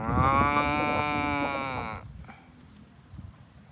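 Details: Farm cow being driven toward the barn gives a loud, sustained, harmonically rich moo of about two seconds that cuts off abruptly, followed by soft shuffling sounds.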